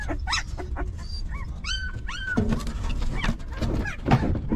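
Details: Hungry newborn puppy beside its stray mother gives a few short, squeaky, bent whimpers in the first couple of seconds, followed by rustling and shuffling noises while suckling.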